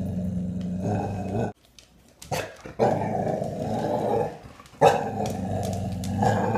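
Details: Young female American Bully, eight months old with poor eyesight, growling at a plastic skull on a dining table at home. A long, low, rough rumble runs almost continuously, broken by a short pause and some clattering noises.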